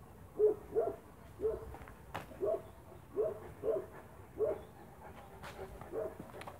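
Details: Spanish Mastiff on a farm, 1 October 2017: a series of about eight short, mid-pitched barks or yips, spaced roughly every half second to a second, fairly soft against a quiet background with a faint click.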